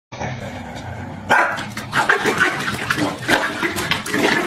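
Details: Pembroke Welsh Corgis quarrelling with each other indoors, giving short sharp barks and snarls in quick bursts, several per second, over a steady rushing, water-like background noise.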